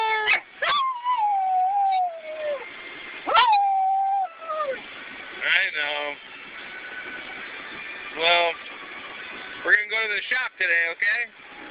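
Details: A dog in a car, heading to work, 'talks' back to its owner in a drawn-out vocal exchange: long, falling whines and yodelling howls, slipping downward over about a second each, alternating with the owner's voice; muffled, band-limited sound.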